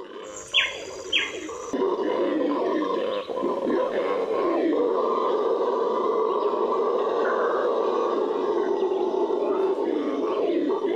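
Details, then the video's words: Venezuelan red howler monkey roaring: a few short bird whistles open, then a loud, continuous, rough, low howl holds steady to the end. "Howler Monkey, the loudest sound in the Amazon"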